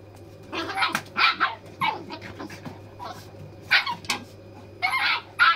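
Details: Farm dog puppies play with their big brother. Short, sharp yipping barks come in bursts, with clusters near the start, a lone bark midway and several closing yelps. Quiet pauses fall between them over a steady low hum.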